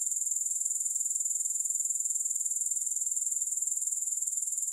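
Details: Grasshoppers with no music added: a steady, very high-pitched shimmering chirr, pulsing evenly about four times per second without a break.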